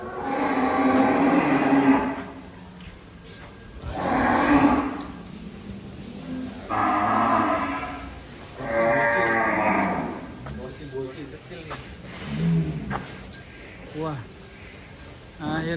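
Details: A cow penned inside a cage at a cattle farm of about a thousand head moos repeatedly, roughly every two to four seconds, each call hoarse and mid-pitched, fading into softer grunting calls toward the end.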